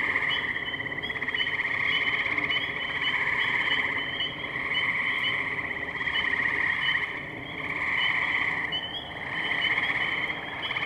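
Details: Spring wetland chorus of tree frogs, Firestone Park, Columbiana, Ohio, 6 May 2023, Zoom H2n recorder; continuous buzzy pulsed trills from many frogs, with loudness swelling and easing every couple of seconds.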